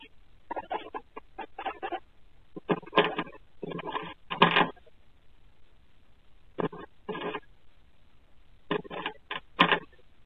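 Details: Pet guinea pigs in an indoor tank enclosure at night with the lights out, recorded on a Ring night-vision camera; clusters of short, harsh squeaking bursts come in quick runs, separated by brief quiet gaps across ten seconds.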